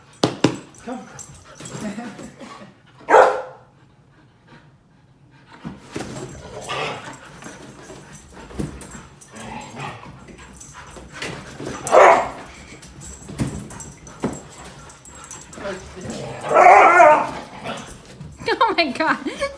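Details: Pet Siberian Huskies Dante and Antaeus fight over a newly arrived Purple bed: scattered sharp barks and rough growls, one loud burst near three seconds and strong growling around twelve and seventeen seconds, with a person's voice.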